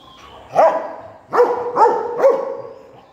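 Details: Rottweiler busy playing with a stone: one bark, a brief pause, then three sharp barks close together, each ringing slightly after it.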